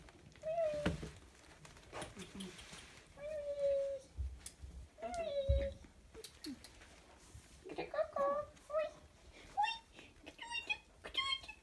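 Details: A whole litter of toy Chihuahua puppies, two males and a female, at play indoors, giving repeated short whines and squeaky yelps that bend up and down, mixed with thumps, scuffles and a little background voice.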